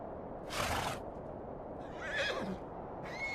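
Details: Mongolian horse in Erdenesant district, Töv Province, Mongolia. A short broadband snort-like burst comes first, then a brief wavering neigh with falling harmonics midway through, and another rush of noise at the end.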